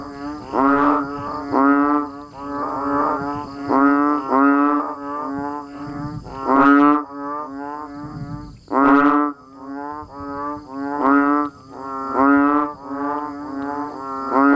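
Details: Frogs and banded bullfrogs calling as rain falls. A dense chorus of overlapping bleating, lowing notes that rise and fall roughly every second, with a few louder nearby callers and a constant faint high hum behind.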